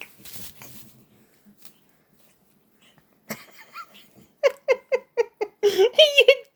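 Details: Pet cat playing with a homemade sock toy, making odd noises: after soft rustling, a quick, even run of six short clipped chirps, then a longer wavering, whining call to finish.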